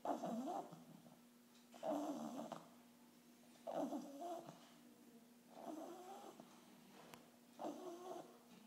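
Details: English bulldog puppy aged 8.5 weeks asleep at its first vet visit, snoring in a steady rhythm: five gravelly, wheezing breaths about every two seconds, each a rough buzzing swell that fades, over a low constant hum.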